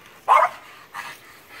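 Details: A French Bulldog after a squirrel gives one sharp loud bark followed by a softer short bark.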